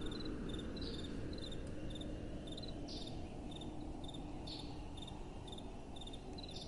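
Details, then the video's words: Crickets at night: rapid, high, trilling pulses, nearly four per second, interspersed with a few brief brighter chirps, over a steady low rumble of soft wind. "Relaxing Night Time Sounds | Crickets & Soft Wind"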